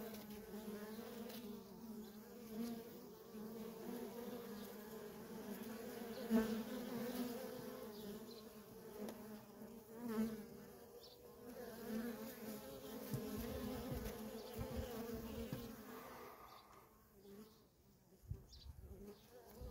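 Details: Worker honey bees busy at a feral wild colony, their hum a banded low drone that swells and fades with passing bees, thinning toward the end as the buzzing recedes.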